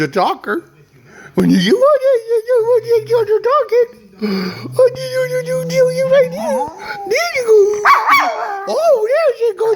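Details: Pet dog, one of two household dogs named Lady and Beau, 'talking' indoors: drawn-out, wavering howl-like tones held steady then bending up and down, broken by short yips, with a person's voice talking alongside.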